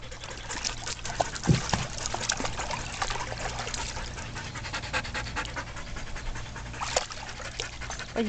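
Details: Playing shelter dogs, Twilight, Juno, Crystal and Tek, share a pool; continuous fast, hoarse panting with dripping water and a faint human voice behind.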